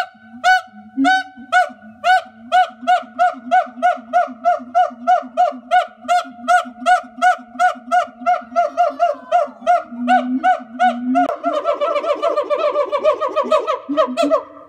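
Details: Two zoo siamangs vocalizing to pair-bond, define territory and announce their presence: loud, honking, harmonic barks repeated steadily about three times a second, then breaking into faster, denser overlapping calls near the end.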